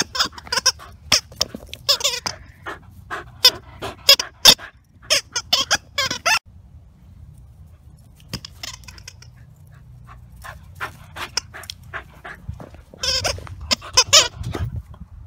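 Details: A two-year-old Welsh Terrier named Stanley, ball-obsessed and living at Wire Fox Terrier Rescue Midwest, plays with his big blue ball. Sharp, high-pitched squeals come in quick bursts between clattering thumps, with a pause midway before another squealing run.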